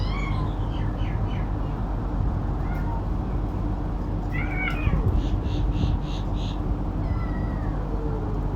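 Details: Adult cat and kitten squabbling over food while eating: a series of short high mews, then a louder falling meow and a longer mew near the end, with a faint knock, over a droning low background hum.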